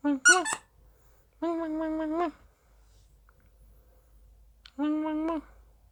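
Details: Dachshund kept as a pet, calling indoors to be played with: a quick cluster of sharp high squeaks, then two steady, slightly wavering whines a few seconds apart, with near silence between.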